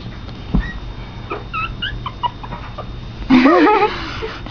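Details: Pomeranian puppies, two young indoor pets, trading faint high squeaks early on before one gives a loud, wavering, rising-and-falling whine lasting about half a second near the end, with low room hum behind.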